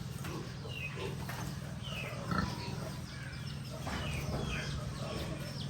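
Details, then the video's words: Young piglets kept on a rural pig farm make thin, high squeals, some rising and some falling, with scattered soft grunts over a strong, steady low drone. "So cute little piglets, piglets in pig farm"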